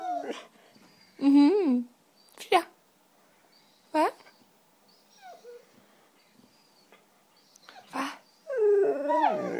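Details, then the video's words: A white female Siberian Husky vocalises for cheese doodles indoors with short bursts of yodelling whines and yips spaced a second or two apart, ending in a longer wavering howl-like moan; quiet human voice between. "Husky Talking"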